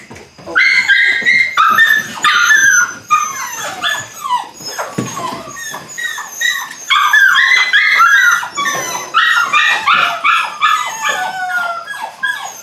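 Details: Eight-week-old Belgian Malinois puppies from one litter during beginning bite work, giving a dense run of high, bent yelps and whimpers in rapid irregular bursts, several voices overlapping, with brief pauses between flurries.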